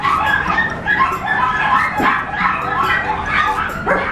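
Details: Tiny-size apricot Toy Poodle puppy, born around April 2022, in a pet shop: a steady run of high, tonal yips and whimpering whines that overlap and repeat without pause, with soft voices mixed in.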